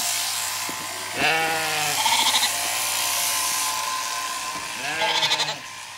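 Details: Zwartbles sheep on a regenerative Irish farm in County Kilkenny, lambs confused by their shorn mother; two wavering bleats about four seconds apart, the second rougher and pulsing, over a constant hiss.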